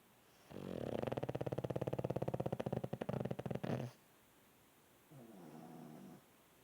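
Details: Sleeping pug snoring: a long rattling, buzzy inhaled snore of over three seconds with rapid pulsing, then a pause and a softer, shorter snore, said to sound like a man.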